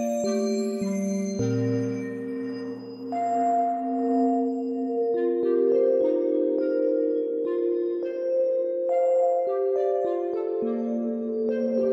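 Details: Gentle ambient music of sustained bell-like, singing-bowl tones and chimed notes throughout, with no animal sounds.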